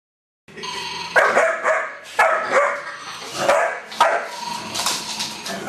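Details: Puppy German Shepherd, two and a half months old, barking at a snoring doll; short yappy barks roughly every second over a steady snoring drone from the toy, with high squeaky tones.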